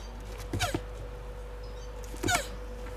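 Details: Mating Hermann's tortoise giving two loud, strained squeaks about one and a half seconds apart, each a short nasal cry with a falling tone, over a constant electrical-sounding hum.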